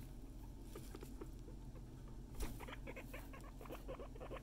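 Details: Guinea pigs giving a run of short, rapid chirping calls that start quietly and crowd together in the second half over a steady low indoor hum.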